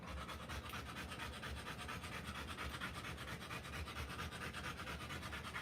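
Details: Rottweiler mother panting while giving birth to puppies: fast, breathy, rhythmic huffs, roughly two per second, steady and unbroken throughout, with no voices or other sounds.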